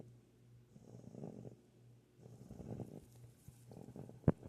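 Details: Held female Rottweiler puppy snoring in her sleep; quiet, breathy, rumbling snores in slow rhythm, ending with a brief sharp click.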